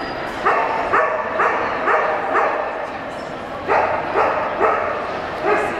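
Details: Female Cardigan Welsh Corgi running an AKC Open Jumpers agility course at a trial in Portland, September 2007, giving sharp barks roughly every half second in short runs, over steady crowd and arena noise.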